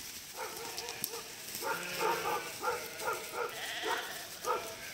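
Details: Sheep in a flock of about 1000 being guided by a border collie across a narrow stretch of a river; several wavering, nasal bleats overlap from different animals, rising and falling in short bursts, with faint background noise.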